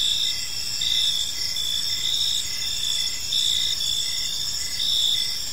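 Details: Crickets chirping on an evening in a peaceful park; several overlapping high, steady trills with a pulsed chirp repeating about twice a second beneath, under a constant insect chorus and faint low background hum.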